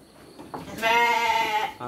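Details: A single sheep bleat during dry-feed time with children on a livestock farm: one sustained, quavering bleat of under a second, rich in harmonics, preceded by faint background voices.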